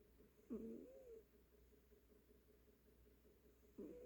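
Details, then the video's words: Sleeping cat snoring softly: a wheezy, rasping breath early on, a long quiet pause, then another raspy snore beginning near the end, all very low in volume. "고양이 코골이"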